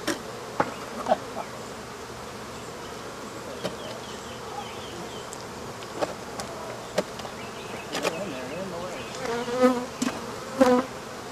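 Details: African honey bees disturbed by the removal of their hive: a soft continuous drone with individual bees whining past in wavering tones. Sharp knocks, thumps and voices of the workers toward the end.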